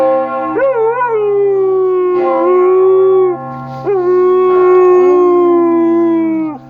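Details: Male Siberian Husky howling along whenever he hears church bells: long, drawn-out mournful howls that bend up and then slowly fall, three main howls separated by brief breaths, over a steady low ringing hum from the bells.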